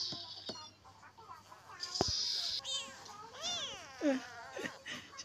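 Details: Newborn kitten dumped after birth, crying for its mother; several thin, wavering meows in the second half, after clicks, rustling and handling noises, with a person speaking softly nearby.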